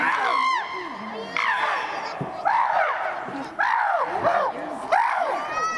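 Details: Fight between chimpanzees Tommy, William and Peter at Twycross Zoo's Chimpanzee Eden; arching, shrieking screams recur every second or so, accompanied by spectators' voices.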